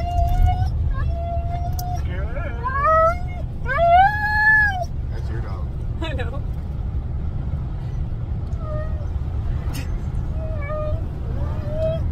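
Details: Siberian huskies on a car drive vocalise in scattered bursts: a steady held tone, then arching and rising howls around the fourth second, followed by softer short whines. Road and engine rumble run underneath throughout.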